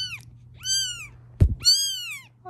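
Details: Mother cat calling while her kittens are being filmed, as if objecting to it; two loud, clear harmonic meows, each falling at the end, with a brief thump between them and a steady low hum throughout.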